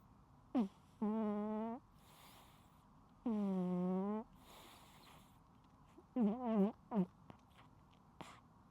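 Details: Sleeping pet cat snoring loudly indoors, unedited recording: four tonal, harmonic snores, each under a second long and some wavering, come at uneven intervals in a quiet room, with soft breathy noise between them.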